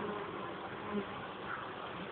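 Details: Western honey bees crowding on the outside of the hive in the evening, 7 July, after the beekeeper removed a comb they had been sitting on; a dense, steady, even hum fills the whole clip.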